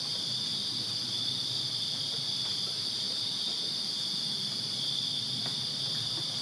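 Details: Backyard crickets on a Virginia summer night fill the air with a dense, unbroken high-pitched chirping drone, clear and dominant, with only faint low murmur beneath.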